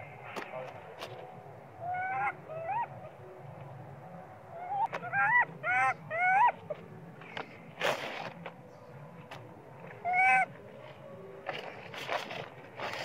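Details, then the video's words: Hungry baby monkey Sweet Pea screams for milk as his mother pays little attention: clusters of short, shrill, rising-and-falling squealing cries in quick runs, separated by pauses, with sharp knocks and clatter between them. "Sweet pea spoil baby monkey cry & screaming loudly but mom monkey not care much of him"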